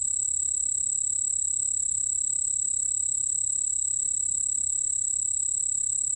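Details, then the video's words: Continuous shrill ringing of a white-whiskered bell cricket, recorded in 2020 by the National Institute of Biological Resources; one even, piercing high note held without a break, a softer lower tone beneath, faint low rumble. "흰수염방울벌레, 여러번 듣기, 곤충소리"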